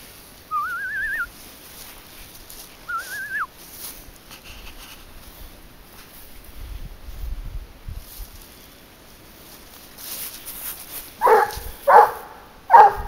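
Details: During a leash hunt for wild boar, two rising, wavering whistled tones come first, then after a pause the 22-month-old dog Garuo barks three times in a quick, loud series.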